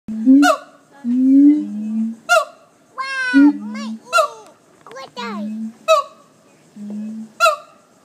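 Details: Monkeys at the Jacksonville zoo howling in a run of low sustained hoots broken by sharp, rising whoops and squeals.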